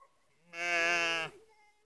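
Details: Netoniai, Lithuania, September 2016, evening: a sheep of a group of one ewe and three black lambs gives one strong, bright bleat lasting under a second, ending in a slight downward slide, with faint tonal sounds before and after.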